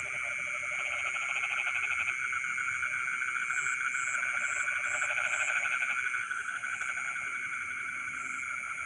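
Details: Frogs singing in rice fields in the middle of the night, dense overlapping pulsed croaks swelling and fading, with a row of high beeping insect notes and a constant shrill drone behind.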